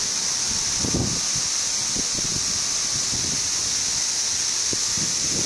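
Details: Brood XIV periodical cicadas, 17-year emergence in Frankfort, central Kentucky, June 2008, on a hot day: a constant high-pitched droning hiss fills the background while soft low thumps and rustles come and go.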